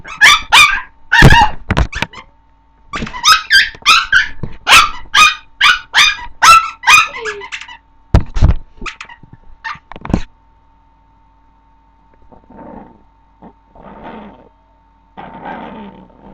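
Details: Female Chihuahua puppy barking at her toy: rapid run of high, sharp yappy barks for about ten seconds, then quieter scratchy rustling and soft noises while a faint steady hum continues.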